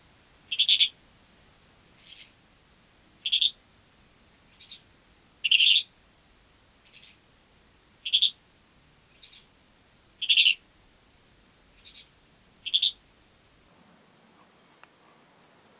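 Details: Common Dark Bush-cricket at Tuttlingen, Germany, 8 October 2022, heard through an ultrasound detector as lowered, rasping bursts spaced one to two seconds apart. Near the end, rapid natural high chirps take over.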